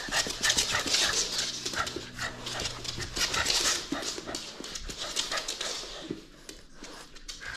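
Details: French Bulldog at play, refusing to give up its toy: rapid, breathy panting and snorting huffs come in quick irregular bursts, hissy and broadband, with a faint low hum underneath.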